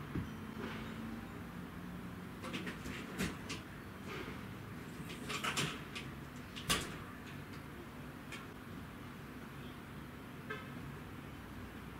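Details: Scattered knocks and clatters, like a door or cupboard, over a low steady hum, with no clear animal voice.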